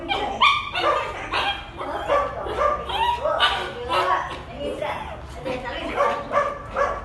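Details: A female dog whining after another dog went out for a walk first; a rapid run of high, nasal whimpers and yelps, about two per second, with some overlapping voice-like sound.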